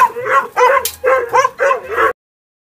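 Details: A pink-capped corgi, Hana, dressed as a police dog, gives five tuneful, drawn-out barks in a quick rhythmic series, each bending up then down.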